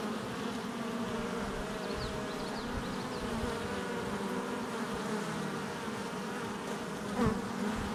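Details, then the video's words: Hive entrance activity of honey bees on July 22nd, 2024, heard as an unbroken swarm-like hum, faint high chirps early on and a short louder buzz from a nearby bee toward the end. "Honey Bee Hive Entrance Activity"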